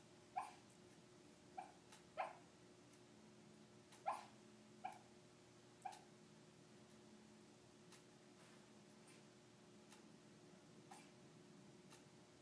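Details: Peanut, a female dog, lets out a string of small muffled barks and yips in her sleep, as if barking in a dream. About six quick soft yelps come in the first six seconds over a faint room hum.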